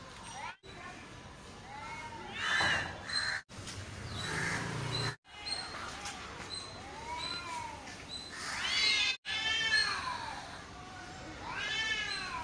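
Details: Two cats fighting on a street in Chennai, with harsh rising-and-falling yowls and wails in overlapping bursts, several sharp peaks, and brief gaps, over background street noise and some voices.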